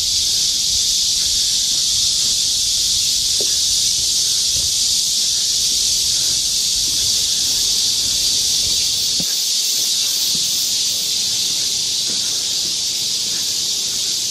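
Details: Midsummer cicada chorus along a forest walking path in Galsan Park, Seoul, South Korea; a continuous shrill, hissing drone fills the air without pause, steady in loudness, with occasional soft low clicks or footsteps underneath.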